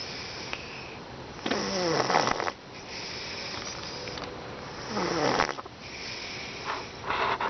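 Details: Harley, a pet cat, snoring loudly while asleep indoors in a small room: rough, rasping snores with raspy rattling texture, two long bursts roughly three and a half seconds apart, quiet breathing between.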